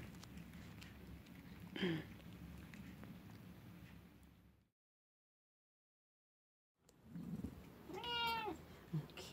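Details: Elderly tabby cat, 17 years old, meowing indoors: a short call, a gap of silence, then a clear drawn-out meow with a falling end, amid faint room noise and a voice.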